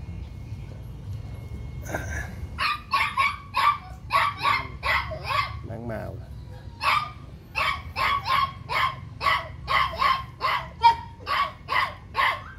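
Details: A brindle female Phu Quoc Ridgeback at a Saigon kennel, straining against the leash while being leash-trained, lets out a rapid run of about twenty sharp barks with a brief pause midway.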